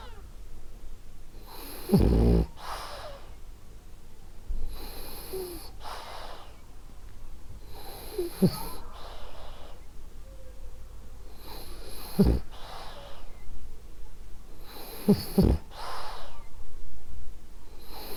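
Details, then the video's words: Female French Bulldog Ariva asleep, snoring rhythmically: a series of low, raspy snorts and wheezy inhales with breathy exhales between them, some louder rattles standing out over the quieter breathing. "Cute Snoring French Bulldog"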